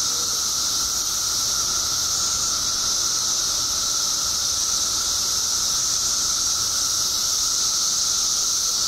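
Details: Billions of periodical cicadas out after 17 years underground in Illinois fill the air with a continuous high-pitched sizzling drone and a steady lower tone layered under it, unchanging across the whole stretch.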